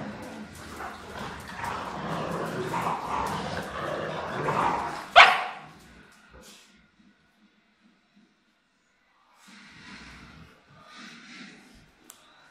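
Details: Two Rottweilers, Miley and Fiona, at play: about five seconds of dense, rough growling and scuffling, then a sharp single bark-like burst, near silence, and brief softer grumbles toward the end.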